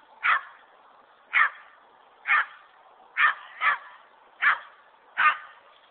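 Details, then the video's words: Dogs barking while playing in snow, with a Boston Terrier, Pug and German Shepherd taking part: short sharp barks repeated about once a second, seven in all, over a quiet background. "Dogs playing in snow"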